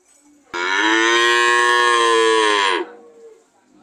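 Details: Single powerful cow moo starting abruptly and holding steady for over two seconds, ending in a brief softer tail.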